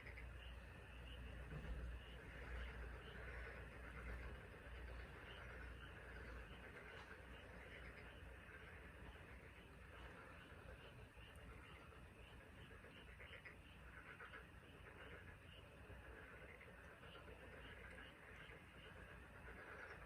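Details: Taean Peninsula frogs in chorus, South Korea: rapid, evenly repeated high notes, roughly four per second, ride over a blurred mid-pitched chorus and persistent low-frequency rumble.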